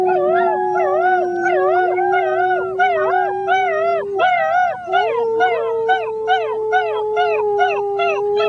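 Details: A litter of six-week-old German Shepherd puppies 'sing the blues' alongside a person: a sustained steady howl runs beneath rapid, wavering yelping notes repeated roughly every half second, forming a chorus of voices.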